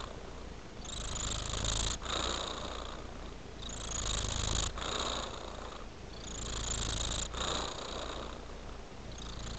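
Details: Domestic cat purring: a steady, low, rough rumble that swells and fades in breathing cycles roughly every two and a half seconds, each cycle with a brighter hissy edge, close and continuous with no other clear sounds.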